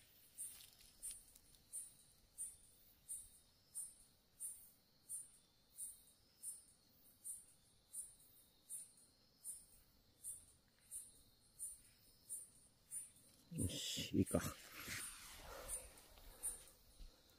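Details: A Ryukyu kajika frog (Buergeria japonica) gives high, thin chirps, steadily repeated about once a second; recorded 19 August 2023, one not seen in this area for a while.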